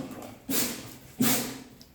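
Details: Terrier mix dog throwing a tantrum indoors: two short, harsh bark-like bursts about three-quarters of a second apart, each with a low tonal core, over quiet room noise.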